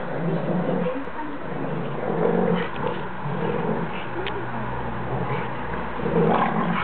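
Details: A 19-week-old Alaskan Malamute puppy playing with an adult Rottweiler, among the first times the two have played nicely, with low rough growls, whimpers and scuffling running through the clip.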